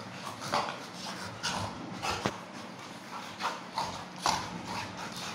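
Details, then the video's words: Two pet Labrador Retrievers play-fighting; scuffling with short rough growls and huffs at intervals, faint thuds, and low human voices in the room. "Labrador's funny fighting"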